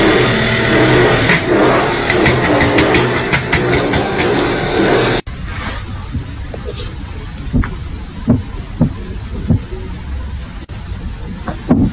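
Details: Car engine and traffic noise with music at first, then revving and knocks outdoors; no animal is heard.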